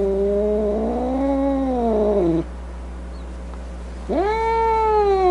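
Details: Angry domestic cat voices a wavering, undulating yowl that bends up and down for over two seconds, falls silent, then launches a second sharply rising yowl held at a steady pitch; faint low hum underneath.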